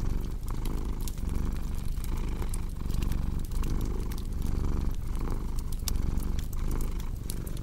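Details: Deep continuous cat purr, throbbing low rumble pulsing with each inhale and exhale about once a second, overlaid by scattered snapping crackles from a wood fire.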